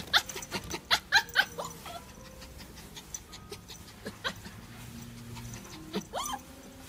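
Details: Female apricot Toy Poodle born 27 February 2018, kept at a pet shop: a quick run of short, high yips in the first second and a half, then quiet with scattered clicks, and a single rising-then-falling whine near the end.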